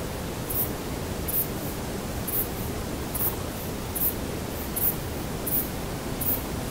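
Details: In a sunlit forest in Poland in September, a male saddle-backed bush cricket, a rare species there, repeats short, very high, double-clicked chirps about once a second, with other individuals audible in the background.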